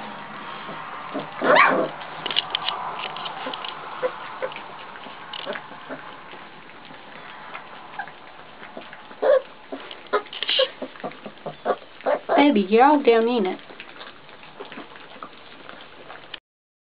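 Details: Great Pyrenees puppies, four and a half weeks old, with scattered short yips and soft clicks, then a wavering, warbling whine lasting over a second near the end, all against a faint steady hiss.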